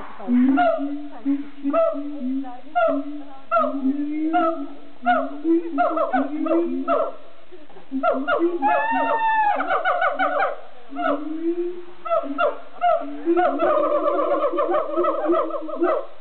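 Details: Siamangs at Amersfoort Zoo in the Netherlands sing loudly: low booming hoots repeated about every second build into faster barking bursts, a rising whooping scream near the middle, then dense pulsed calling.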